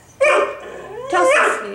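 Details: A female Siberian husky, restless after a two-day move with no exercise, wanting a walk, gives two short harmonic howl-barks with a rising then falling pitch, separated by a brief pause, indoors with a woman's voice nearby.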